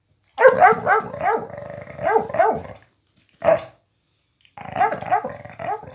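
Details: Flash, a one-year-old Miniature Pinscher, stealing a toy from the old Pitbull who adopted him; harsh, buzzy growl-barks in a rapid run of about six bursts, one lone bark, then another burst of growling.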